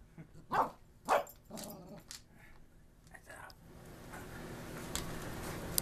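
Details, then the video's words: A Cocker Spaniel gives two sharp, loud barks, reacting to a mini drone, followed by softer muffled sounds and background noise. "cocker spaniel barking"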